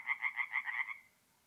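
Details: A single tree frog calling at night from a forest pond in north-east Italy in mid-April: about six quick nasal pulses in under a second, then the call stops and near silence follows.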